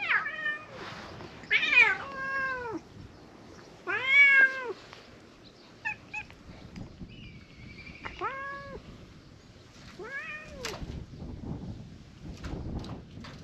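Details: Stray cats gathering around a person seated in a back alley of a fishing town, a large cat meeting; several clear harmonic meows, some rising then falling, others short and downward, spaced a few seconds apart over quiet background.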